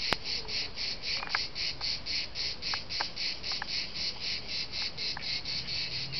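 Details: At dusk in Liguria, Italy, cicadas sing a steady, high, rasping buzz that pulses about four times a second.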